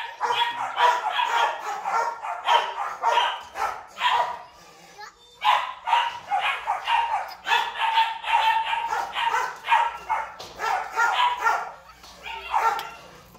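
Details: A female breeding Rottweiler gives rapid, repeated barks and yips in quick bursts with brief pauses.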